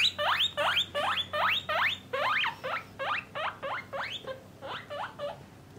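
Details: Loud, rising whistled squeals from domestic guinea pigs, part of a parent-and-young family housed in separate male and female cages, come in a quick string of about thirteen calls, slightly fading toward the end.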